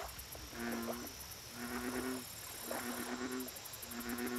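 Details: American bullfrog at a lake, giving deep, resonant, droning calls of roughly half a second to a second each, four in a row with short pauses between, over steady high insect chirping and a faint background hiss.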